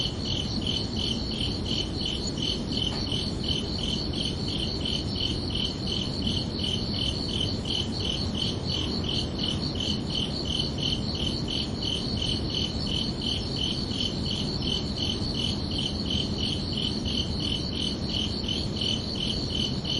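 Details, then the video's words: Crickets under a night sky in summer, producing a continuous shrill chirping of regular pulses about every second or faster, layered chirps overlapping, with soft low ambient noise below. "Calming Cricket Sounds for Relaxation"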